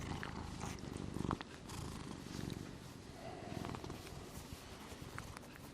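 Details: Sleeping house cat Gnusmas, filmed August 2020, snores with a soft, low rattling rumble in uneven bursts, fainter than background clicks and small rustles in a quiet indoor space.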